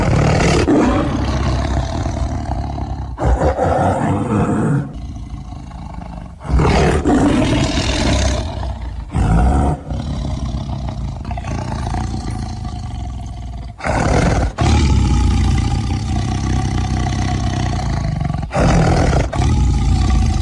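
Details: Tiger roaring: long, deep, rumbling roars with heavy low-pitched energy, joined by abrupt cuts every few seconds into one continuous stretch of loud growling sound.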